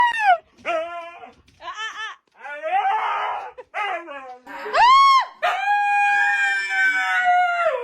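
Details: Noisy Siberian Husky giving a run of short, wavering yowls that rise and fall in pitch, each richly harmonic, then a louder arching cry and a long sustained howl held to the end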